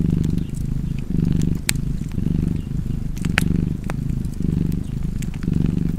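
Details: Cat's throaty purr in regular breath-paced waves, nearly one per second, with louder fire crackles and pops cutting through.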